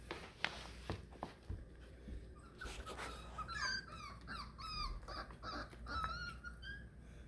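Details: Four-week-old Beagle puppies away from their mother for the first time, indoors, whimpering: a run of high, wavering whines that bend up and down, overlapping in quick succession over the last four seconds, after a few soft thumps and faint background sounds.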